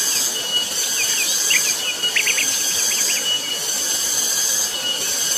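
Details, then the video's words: On Gunung Pabangbon, a very loud cicada chorus forms a constant piercing hiss-like drone, while a bird adds quick clusters of sharp chirps near the middle. "Suara tonggeret nyaring sekali di Gunung Pabangbon."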